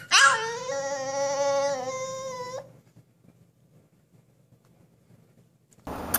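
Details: Siberian Husky puppy giving one drawn-out howl of about two and a half seconds. It opens with a sharp high yelp, then settles into a steady, rich, harmonic tone before stopping abruptly, followed by quiet room hum.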